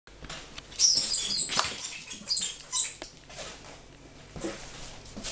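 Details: Lemming indoors, chased and played with by a 16-week-old kitten before being killed; thin, very high squeaks in quick clustered bursts through the first two and a half seconds, amid scuffling patter and thumps, then quieter rustling.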